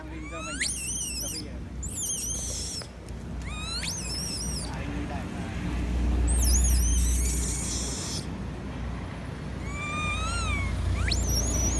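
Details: Young female monkey cries loudly, begging her mother to nurse her, and may be in poor health; rising, wavering high-pitched wails repeat every second or two, some with descending warbles, over steady low rumble.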